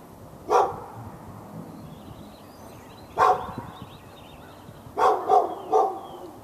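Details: Dog in a Raleigh, North Carolina yard barking at the dog next door, February 15, 2012; five short, sharp barks, two spaced singles then a quick burst of three, over a low outdoor hum with faint chirping birds.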